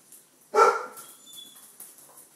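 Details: Red rust Doberman puppy aged five weeks lets out one sharp, high yelping bark, loud and abrupt, followed by a faint thin whine and quiet indoor rustling.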